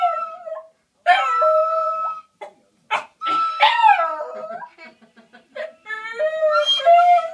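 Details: Border Terrier at home 'singing', prompted by the owners' daughter: short wavering howls and yips in quick, uneven bursts, some rising then sliding down, with a steady flat tone sounding beside them.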